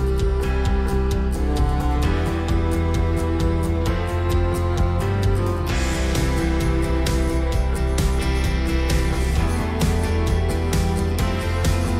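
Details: Steady strummed guitar music with a country feel and a bass line plays without a break; no animal voice can be heard.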